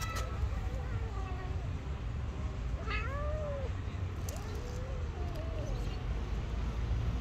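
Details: A hungry stray street cat begging for food at a person's feet makes a run of soft, short, wavering meows, several in quick succession, after a brief word from a person, with low background rumble throughout.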